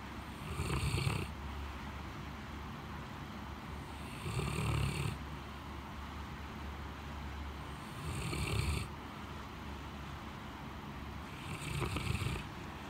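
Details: Great Pyrenees Blanche lies sound asleep in a cooled living room after a typhoon, on a scorching day. Four rasping snores roll in at a regular pace, about one every three and a half to four seconds, each tailing into a breathy hiss, with a low background drone.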